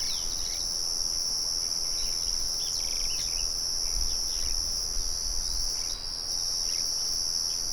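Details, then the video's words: A cricket trill in a natural setting, mixed with birdsong and the murmur of a windmill. The piercing high tone stays steady from start to finish. Soft short bird chirps scatter across it, and low rumbles swell near four and five seconds. "Sonido de Grillos y Pájaros"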